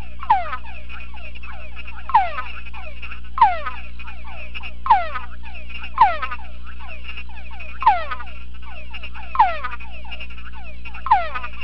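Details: Male túngara frog inside a sound-proof box, calling in reply to a conspecific chorus played through a speaker. Loud descending whines repeat about every one and a half seconds over a fainter backdrop of many overlapping chorus whines, with a steady low hum.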